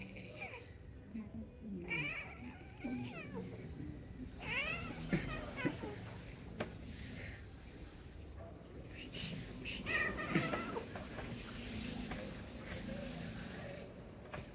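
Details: Domestic cat meowing indoors, several wavering, rising-then-falling meows with harmonics around two and eight seconds in and again near ten seconds, mixed with speech and household noise.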